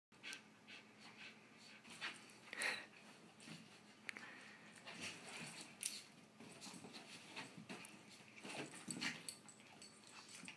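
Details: Two pet dogs, a Chihuahua and a Husky, playing together; wheezy panting breaths and scuffling clicks come in irregular bursts, with a few sharper snorting peaks scattered through.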